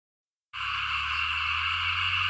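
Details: Frogs calling in a rice field the night after heavy rain, a dense, steady, buzzing chorus that starts abruptly and runs unbroken, with a low hum underneath.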